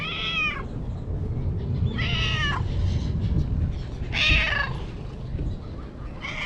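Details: Vocal stray cat being stroked outdoors, meowing about every two seconds in short, bright, slightly falling calls over a steady low rumble.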